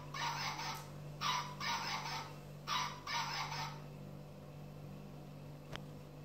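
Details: Puppies six weeks old giving a quick run of five harsh, strained yelping cries within about three and a half seconds, then falling quiet while a constant low mechanical hum continues.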